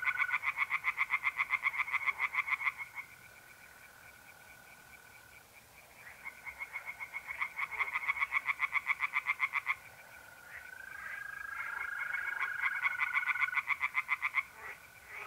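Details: Pond chorus of tree frogs by night in mid-April, north-eastern Italy: several bouts of quick, regular croaking pulses, each lasting a few seconds with short pauses between, backed throughout by the unbroken buzzing trill of mole crickets.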